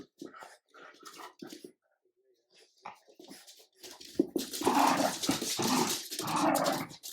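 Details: French bulldog puppy Ubi pestering an adult Jack Russell terrier that asserts leadership: soft scattered grumbles and yaps at first, swelling after four seconds into loud, continuous rough growling and snarling.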